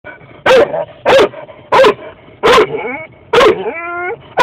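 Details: Dog barking excitedly in a car on the way to a walk, urging her owner to hurry; loud single barks about every 0.6 seconds, the last followed by a drawn-out whine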